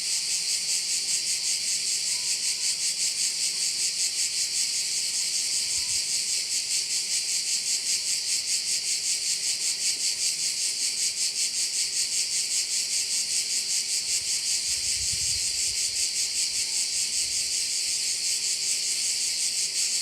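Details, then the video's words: On Korčula in Croatia, crickets around a bay keep up an unbroken, high, pulsing shrill chorus at about two and a half beats per second, with a few soft low thuds near the middle. "Korčula - view of one of the bays in Korcula with sounds of crickets"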